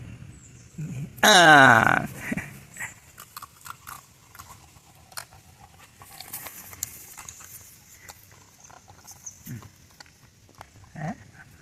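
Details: Female Labrador puppy kept as a pet in Sri Lanka giving one loud strained whine, nearly a second long, followed by quiet rustling and a few faint sounds, with a person calling her to come and eat in Sinhala.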